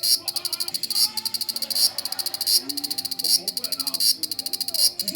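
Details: Large brown cicada singing on 1 September 2020: a harsh, high sizzling buzz in rapid pulses, swelling into louder bursts about every three-quarters of a second, with faint low voices murmuring underneath.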